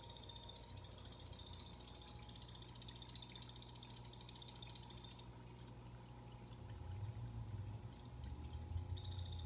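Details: Pet blue-bellied poison frogs in a planted Exo Terra vivarium give a high, rapid buzzing trill of fast pulses for about five seconds. It pauses and starts again at the end, over trickling water and a low hum.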